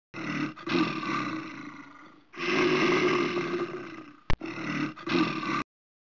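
Bear giving deep, rasping, growly roars in long drawn-out bursts, three main roars over about five seconds, with a sharp click between the last two.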